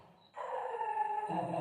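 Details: Golden retriever with a sustained, steady whining tone that starts abruptly and holds level for over a second, with a low rumble near the end.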